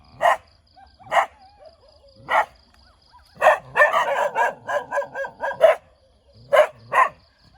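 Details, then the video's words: Cute dog wagging its tail while barking: sharp, bright barks, a few spaced singly, then a rapid burst of about nine quick barks in a row, followed by two more separate barks; quiet background. "เสียงหมาเห่า หมาน่ารักกระดิกหาง"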